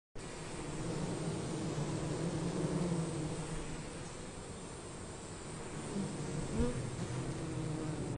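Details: Killer bees swarming over a honeycomb frame held by a beekeeper; a dense, unbroken low buzzing hum fills the recording, steady in loudness, with a brief swell near the end.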